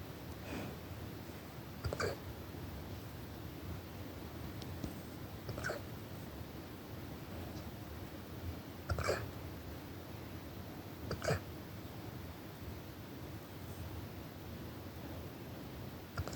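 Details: Brock, an 8-month-old brindle Cane Corso Mastiff, hiccuping at night: short, sharp clicking hiccups repeat about every two seconds over a steady low background hum.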